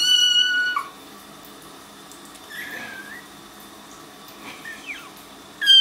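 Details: Kittens unhappy in a bathtub during their first week home. Loud, high meows open and close the stretch, with fainter short mews and light rustling in the small room between them.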